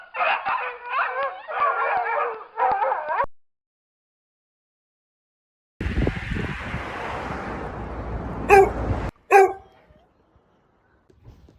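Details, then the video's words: Village puppy giving a quick run of high, wavering whimpers and yips for about three seconds. A pause follows, then a stretch of broad rustling noise and two sharp, short yelps. "Dog sounds"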